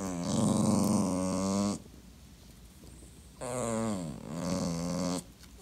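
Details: A clingy sausage dog, a Dachshund being ignored, produces two long, rough, moaning growls, each around a second and a half, the second dipping and rising in pitch.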